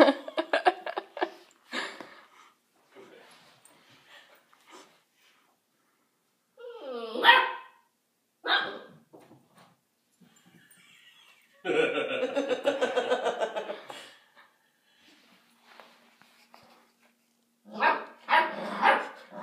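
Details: Gatsby, a female Basset Hound puppy, plays indoors against another animal called Cocoa Puff, giving sharp broadband barks in bursts, including a fast rattling run near the middle, with people talking and laughing between them in a small room.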